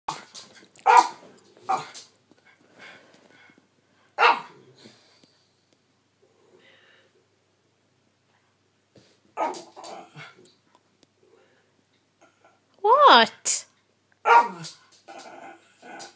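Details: Elderly 12-year-old female Miniature Schnauzer barking at a 3-year-old dog sleeping in a spot she wants, an old-age habit; sharp separate barks in short bursts with quiet gaps, then a whining rising yelp and more barks near the end.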